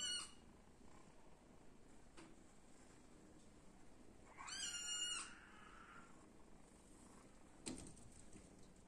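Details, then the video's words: A little black and white cat gives one drawn-out, nasal meow lasting about a second, strongly harmonic and slightly falling at the end, against a low steady hum with a few faint clicks before and after. "Little Black and White Cat Meowing"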